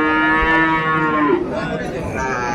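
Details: Sahiwal bull calves at Ambari cattle market in Dinajpur on 11 March 2024, the start of Ramadan: one steady, low, droning moo lasts about a second and a half and then fades into market background noise.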